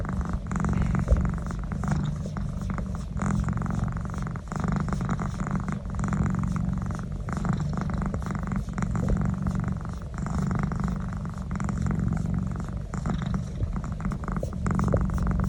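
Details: Domestic cat enjoying a neck massage, purring loudly and continuously; deep, rumbling low-pitched buzz in steady inhale-exhale cycles of roughly two seconds, with light rustling of handling throughout.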